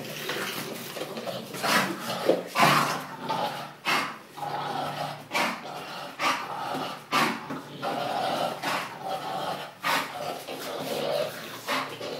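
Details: English bulldog growling and huffing indoors, rough broadband bursts coming irregularly about every second or two, some louder snorting grunts among them, with faint human voices in the background.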